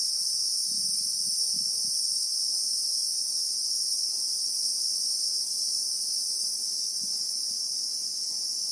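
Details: Steady high-pitched electric whine of Christmas beetles (Anoplognathus) in the South African bushveld, heard in real time, never pausing, with faint low knocks and rustles early on.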